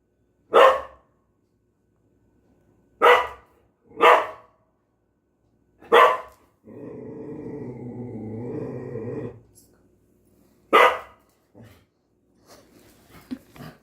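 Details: Domestic dog barking at the sound of rice cooking: four sharp single barks a second or two apart, then a steady hissing, droning noise lasting about three seconds, then another bark and a few faint clicks.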